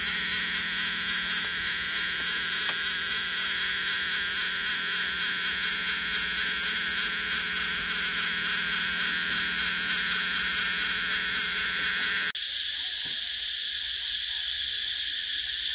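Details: Summer cicada chorus, a continuous shrill hiss-like buzz that stays even throughout, briefly dipping in loudness after an abrupt cut near the end, with a low hum underneath early on.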